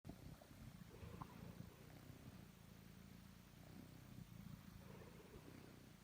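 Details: Domestic cat named Totto purring while kneading; steady low rumbling purr in pulsing bands, continuous throughout with faint soft rustles.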